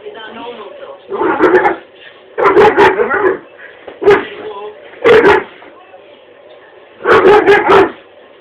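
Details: A dog barking at a china dog ornament gives sharp, harsh barks in short bursts, some doubled or tripled, with pauses between.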